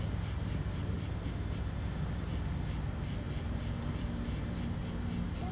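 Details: The last cicada of 2010, at Vello, Brescia province, Italy, on 4 September 2010 at 16:04, sings in short, buzzy, high-pitched pulses, about four each second, over a low rumble.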